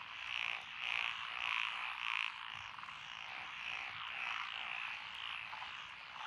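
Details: Mixed chorus of tree frogs, pond frogs and green tree frogs in lotus rice fields in Echizen, Fukui, Japan, June 2021. Loud pulsing croaks repeat roughly every half second over a constant buzzing trill from many callers.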